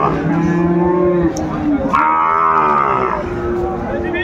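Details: Sahiwal bull calf at a cattle market in Narsingdi on 24 January 2025, giving long harmonic moos, one falling low then a higher bawl lasting over a second, amid market crowd noise.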